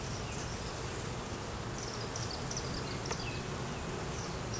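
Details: Beeyard hive inspection with honey bees droning in a thick, steady hum; brief faint high chirps flicker over the buzz, captured on a Canon Rebel T6 DSLR without narration.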